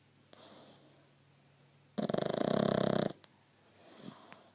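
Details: Sleeping pug snoring in a quiet room: one loud, raspy, rattling snort lasting about a second, set between softer breathing sounds.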